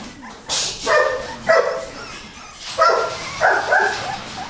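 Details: Goldendoodle puppies, a Golden Retriever and Standard Poodle cross, let out a few sharp, squeaky yips spaced about a second apart, with a brief scratchy noise before the first.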